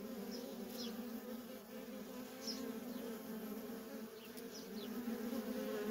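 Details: Feral honey bee colony with worker bees in nonstop traffic. A dense, low, unbroken drone grows slightly louder toward the end, dotted with scattered faint high chirps.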